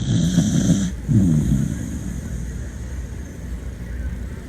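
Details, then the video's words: Beagle named Poppy snoring while asleep, two rough low wavering snores in the first two seconds, then quiet breathing against faint background hum. "Beagle Snoring"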